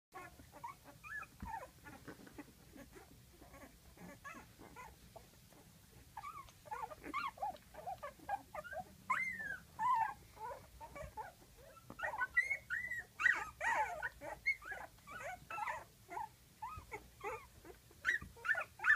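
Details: Twelve-day-old puppies in a whelping box, eyes just opening, crying because their mother is just outside; a constant scatter of thin high squeaks and whimpers from several pups that grows louder and busier over time.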